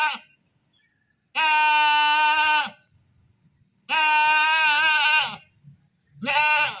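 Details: Three loud goat screams, each a wavering, harmonic bleat over a second long, with quiet gaps and faint low noises between.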